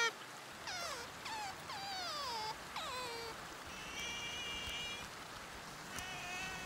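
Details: Sea otter calling: a run of about five loud, harmonic squeals that slide steeply downward, crowded into the first three seconds, followed by steadier high, thin whistled tones over a faint background hiss.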